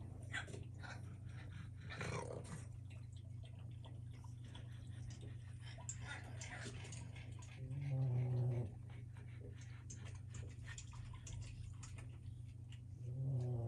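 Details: Boston Terrier puppies play on a wobble-disk enrichment toy, giving short, low, rumbling growls over a steady hum and light clattering.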